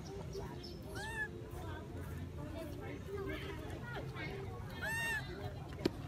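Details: Baby monkey that has lost its mother, calling to her while she stays at the top of a tree: two clear arched, rising-then-falling squealing cries with bright overtones, set against steady low background rumble and faint voices.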